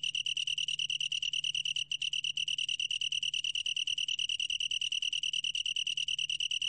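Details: A long-tailed tree cricket's bright pulsed trill, about twelve pulses a second, with one brief stumble near two seconds before the steady rhythm resumes; quiet surroundings.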